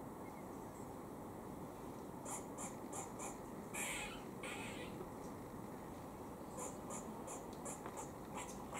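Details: Squirrel in Cambridge, UK, on 17 October 2020, giving a warning noise while eating: a run of short, sharp, harsh clicks in quick series, with a couple of longer raspy bursts midway, over steady low background noise.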